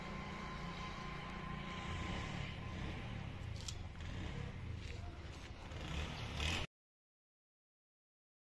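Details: Only steady low road and vehicle rumble with some scraping noise is heard, with no animal call.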